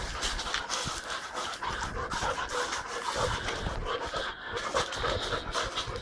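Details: Berry, a female Boxer puppy kept at a kennel and described as very active, panting steadily: fast, breathy, noisy huffs running without pause through the whole stretch.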